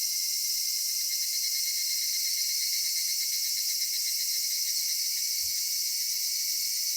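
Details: Summer-evening cicada chorus in a cedar forest, an unbroken shrill hiss layered in several high bands, with a soft low rumble and one brief low knock near the end.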